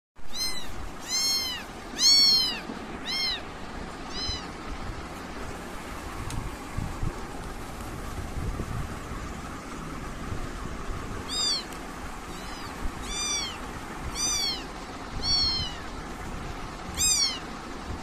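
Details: British kittens meowing: a quick cluster of high, arched, harmonic mews early on, then a later series of single squeaky meows spaced about a second apart, over a steady low background hum.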